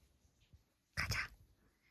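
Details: House dog producing a quick double bark, two loud rough bursts back to back, in a small room with soft background noise and human talk around it.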